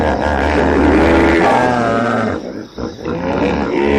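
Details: Hippopotamus giving a long, rough, droning grunt with a rich low rumble. It dips briefly, then resumes as a throaty, continuous call.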